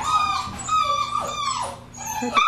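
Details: From a houseful litter of nine six-week-old Lab puppies, drawn-out high whines stretch and bend into howl-like wails, falling then rising again, over a faint low hum.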